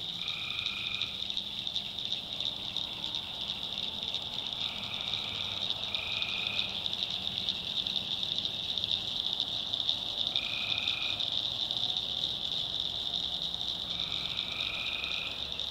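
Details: Tree frogs heard at night in a swamp in the backwoods of North Carolina: a steady shrill chorus runs throughout, with separate lower buzzy calls of about a second each appearing at irregular intervals.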